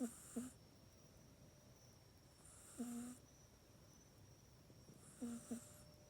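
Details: Mac, a pet cat, snores while sleeping in its cat bed at night indoors. Soft, low, rough breaths rise in short bursts about every two and a half seconds, and a faint steady hiss runs underneath.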